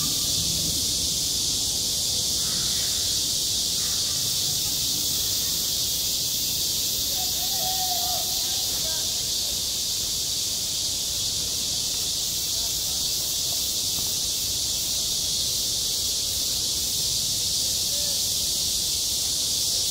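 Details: Cicadas calling on a school playground in the height of summer, a relentless high, hissing drone holding at constant loudness, with a few faint distant voices around the middle.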